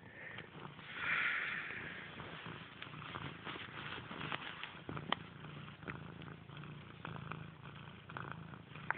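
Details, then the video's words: A house cat named Grey purrs continuously, a low throbbing drone with a regular pulse, plus a short brighter rustle early on and light clicks from movement. "Grey has a motor"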